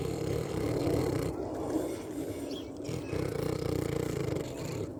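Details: Eating and snoring pig gives dense, deep rumbling grunts in quick rough pulses, swelling and easing across the stretch without pause.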